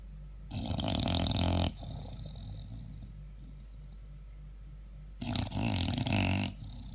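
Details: Sleeping English Bulldog snoring loudly indoors: two long rasping, rumbling snores about four seconds apart, each lasting over a second, with deep pulsing vibration and a noisy hiss on top, and quiet breathing between them.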